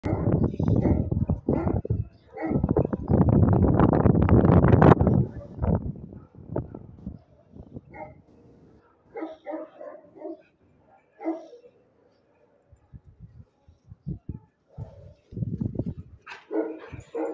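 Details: A Rottweiler guard dog barks deep and loud in a rapid burst while guarding, then quieter scattered sounds follow.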